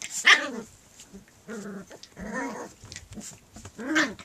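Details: Puppy at play; four short barks and yelps, each rising then falling, the first sharp and high, with quiet gaps between them and a faint background hiss.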